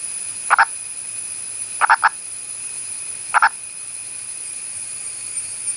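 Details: A wild male Indian purple frog, an endangered Western Ghats species that usually calls from underground burrows, calls from above ground in short, hoarse clucking croaks, single or doubled, spaced a second or more apart.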